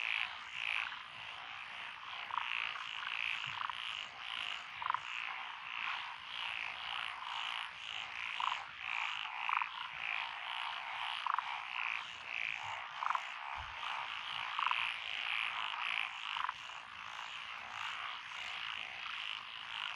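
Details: Frogs of the lotus rice fields in Echizen, Fukui, Japan, on June 12, 2021, including Tokyo daruma pond frogs and forest green tree frogs: a thick pulsing croak chorus with clear repeated higher notes scattered throughout.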